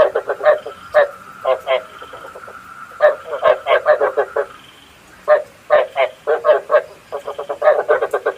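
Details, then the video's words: Night-trapping lure of frog calls: clustered bursts of rough, pulsed croaks in uneven groups, a faint steady tone running beneath the first half, otherwise quiet. "Tiếng ếch mồi chuẩn 99,99% cho ae bẫy đêm tham khảo"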